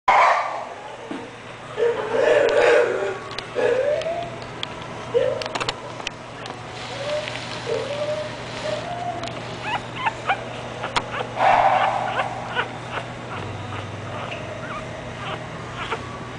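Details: French Bulldog called Julie whimpering in a run of short arched whines, roughly one each second, then a louder yelping burst near the end, over a steady low electrical hum.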